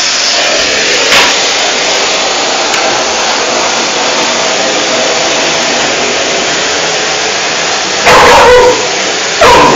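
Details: Gresca, a five-month-old female puppy, faces off against a running vacuum cleaner; a few sharp barks burst out near the end over the machine's steady roar.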